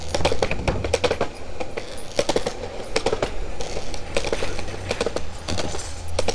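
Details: Engine rumble and road noise from a moving car, with no animal voice heard. Low droning dominates, broken by repeated clattering knocks.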